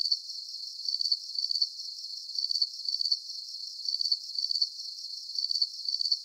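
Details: Calming night sound of crickets: piercing high trilled chirps in quick groups of two or three pulses, returning regularly with brief gaps, over a steady faint insect hum.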